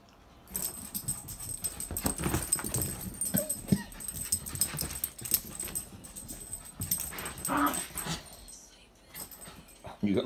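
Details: Several puppies give short, soft whimpering and snuffling sounds, scattered through steady rustling and handling noise, with brief pauses and a sharp knock at the very end.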